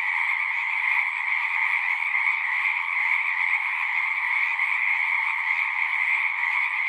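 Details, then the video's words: A massed chorus of singing frogs in which overlapping voices fuse into one constant, high, buzzing trill, unvarying in loudness and without breaks. "One hour of singing frogs."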